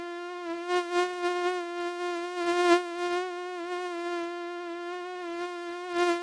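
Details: Quieter mosquito hum, an even, whiny tone with strong overtones. It swells slightly a few times as the insect moves about.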